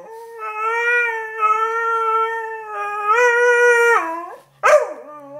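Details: Beagle named Sniffer, wanting up on the bed, gives a sustained, even howl held for about four seconds, rising briefly before sliding down, then a short sharp yelp after a pause.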